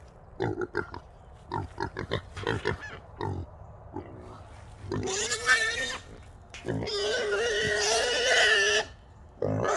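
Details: Small wild boar caught in a small trap alongside two others: a run of rapid, low choppy grunts, then two long, loud, strained squeals, the second lasting about two seconds, with metallic rattling between.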